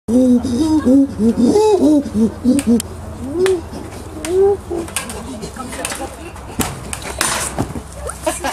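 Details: Angus the chimpanzee, upset at being watched by groups of people and throwing sand at them, gives a rapid series of short arched hoots that rise and fall, then scattered hoots and sharp clattering knocks.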